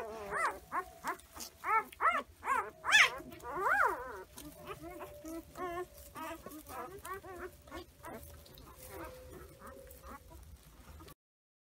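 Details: Komondor, a large Hungarian livestock-guarding sheepdog breed that protects sheep, giving a run of high, wavering whines and yelps in quick succession, loud at first and then fading into softer, evenly spaced whimpers.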